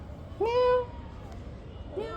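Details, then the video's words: Young kitten giving one clear, held meow that swoops up and then stays level, followed after a short pause by the beginning of a second meow, over quiet background hiss. "kitten lover/ বিড়াল ছানা"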